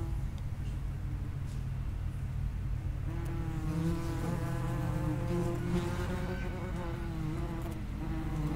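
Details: Wasp buzzing at the entrance to an underground nest of common wasps, a low rumble at first, then several droning insect hums with wavering pitch building in the second half.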